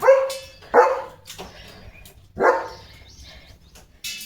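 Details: A German Shepherd dog just bathed barks in anger at being washed: three loud, sharp barks spaced irregularly, with quiet gaps and faint handling sounds between.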